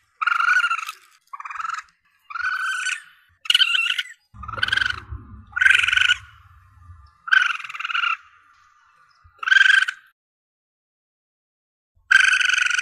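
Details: Rapid series of about ten strident, harmonic cries from a young Asian palm civet (musang pandan), used for luring in hunting, with a low rumbling noise partway through and a pause before a final cry.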